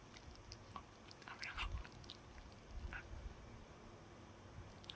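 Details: Pet dog eating a chew inside, a few distinct crunching bursts around the middle with sharper clicks, between quieter stretches of low rustling.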